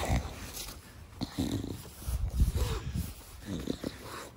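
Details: Bulldog Da Vinci, a family pet, in a home garden, puffing out its characteristic 'fugo fugo' breaths: low grunting snorts in quick irregular bursts, some with a brief nasal tone, over faint background rustle.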